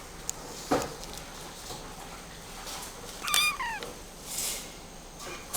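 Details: Scottish Fold kitten, red tabby and white, born around late October 2020, kept at a pet shop: a single short, high meow that rises then slides down, over faint room noise with a few soft knocks.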